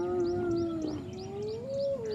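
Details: A spotted hyena, one of a clan that is targeting another hyena's ears while sub-adults are present, gives a drawn-out, moaning contact call that holds low, then swells upward near the end.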